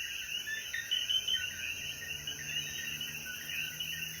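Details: Coquí frogs in Jayuya, Puerto Rico, calling after rain as the sun sets: busy overlapping chirps, some louder nearby calls standing out, with continuous high-pitched insect buzzing behind.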